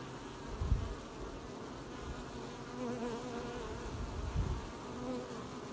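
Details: Honey bees at an apiary hive on 20 July 2020, collecting honey: a low background drone with single bees buzzing past near three and five seconds, plus two short low thumps, likely wind or handling.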